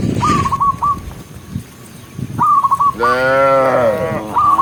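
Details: Cattle being herded in the countryside, dozens in the herd: one long, low moo with a bending pitch near the end, preceded by series of rapid whistled bird chirps that resume after it.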